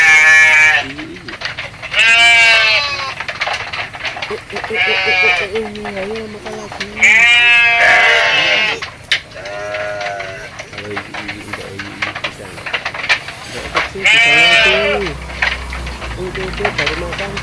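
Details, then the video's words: Goat calling during feeding: loud, quavering bleats with a wavering pitch, repeated several times, mixed with a person speaking Indonesian and counting nearby. "Suara kambing lucu, funny goat sounds animal goat sound"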